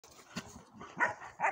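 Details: German shepherd dogs, a long-haired four-month-old and a short-haired one, shown to compare their coats; after soft rustling, two short, high, tonal yelps at about one second and near the end.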